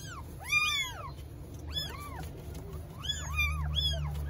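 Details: Newborn kittens in Istanbul give loud, high, arching meows that rise and fall, calling their mother cat because they are hungry.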